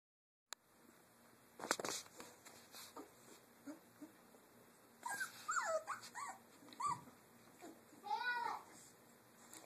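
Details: Three-week-old Doberman puppies playing in their cage area give high, sliding whimpers and squeaky yips in short bursts, with clicks and rustling between calls.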